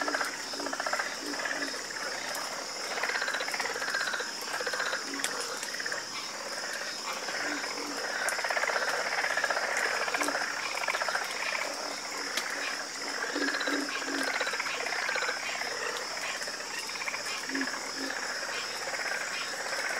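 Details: Frogs in a calming croaking chorus, many voices overlapping in dense rapid pulsed calls, with a steady high insect drone beneath and faint clicks throughout.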